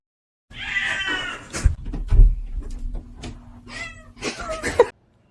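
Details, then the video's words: Cat meowing indoors: a high, wavering meow at the start, then thumps and rustling, with a second thinner meow near the end over low background hum. "funny cats talking"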